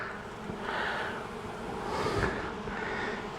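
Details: Honey bees from a long-established colony inside a house wall, stirred up on the first day of a March 6 cutout, make a dense, hissy buzzing roar. It swells and fades over a few seconds, with wind rumble underneath.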